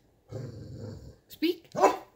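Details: Cane Corso indoors with a puppy sister, prompted to speak: a low rumbling growl-like vocalization lasting about a second, followed by a person's voice praising it.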